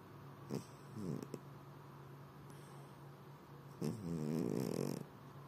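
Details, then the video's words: Pet cat snoring indoors in the evening, sprawled with legs spread: a short snort near the start, then a longer, louder rattling snore lasting about a second toward the end. "my snoring cute cat"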